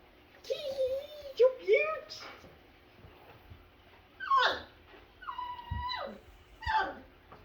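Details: Five-week-old Double Doodle puppies whining: wavering tonal whimpers, then a high descending squeal and flat, drawn-out whines near the end, mixed with soft human voices cooing at them.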